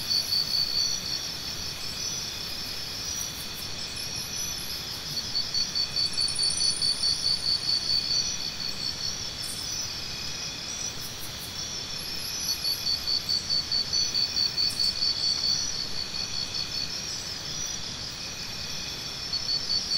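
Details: Cricket repeating bursts of quick, shrill pulses that last several seconds each, separated by quieter spells, with a steady background drone of many insects and occasional higher clicks.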